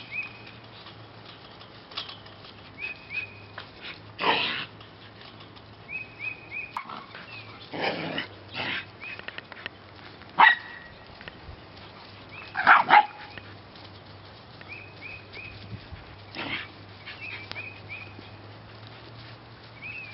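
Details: Puppies of a rescue J litter in March 2017 bark sporadically over twenty seconds in scattered single bursts, the strongest near the middle, with faint high chirps between them.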